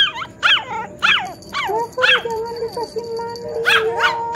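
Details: Poodle dog responding as a grandmother talks to it: sharp, high barks in an uneven series, separated by a long, steady low human vocal tone, with faint music in the background.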